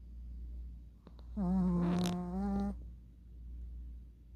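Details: Puppy asleep with open eyes, snoring indoors: a single humming snore of just over a second with a breathy, rasping burst in the middle, set against a low background hum.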